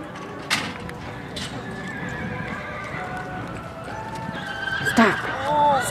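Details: Horse at a stock horse sale and rodeo in Newcastle, Wyoming, giving a short whinny near the end, a falling then wavering harmonic cry lasting about a second, over steady crowd chatter, voices and hoof clatter.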